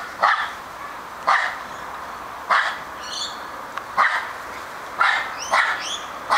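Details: Charlie the male Australian Terrier barks again and again, six crisp single barks spaced roughly a second apart, while a few thin high chirps, possibly from a bird, slip between them.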